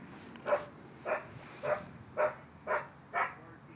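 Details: Playful Kerry Blue Terriers, including silver Keely who wants to play with everyone, with the dog next door: six sharp, evenly spaced yapping barks, about two each second, over a light background hiss.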